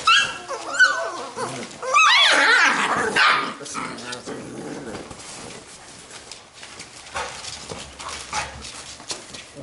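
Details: Labrador retriever puppies from a B litter playing together; a burst of high yapping barks and squeals early on, then quieter scuffling, snuffling and faint whines.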